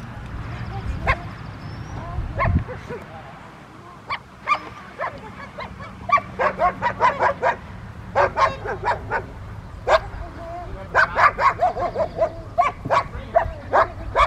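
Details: Rottweilers at obedience training with distraction at a Rottweiler club in Victoria on May 2, 2021, three dogs named; sharp barks come in rapid bursts, sparse at first, then dense clusters, over low background rumble and faint voices.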